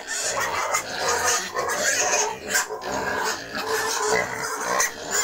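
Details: At a Cambodian breeding farm for wild and domestic pigs, a continuous chorus of loud, grating squeals and screams with no break, several animals calling over one another.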